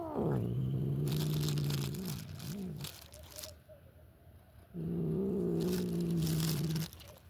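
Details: House cat vocalizing while it eats: two long, low, buzzy growling hums, each about two seconds, separated by chewing and smacking noises in a small room.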